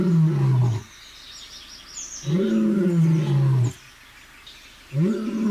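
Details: Lion seated and roaring in the Gir forest sanctuary, Sasan Gir, India; three long, deep, throaty roars with a slight rise then fall in pitch, each about a second and a half, separated by pauses, with faint bird chirps in the background.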